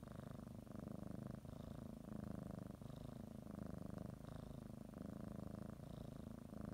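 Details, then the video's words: A pet cat kneads and bites a blanket as she settles for a morning nap, purring continuously; low throbbing rumble alternating between breaths, each cycle lasting about a second and a half, with short pauses between. "Sometimes you just need to listen to a kitty purr"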